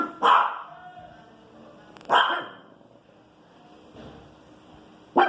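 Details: Small female Pinscher barking at noise in the street: sharp, harsh single barks spaced about two seconds apart, three in all, with faint background hum between them.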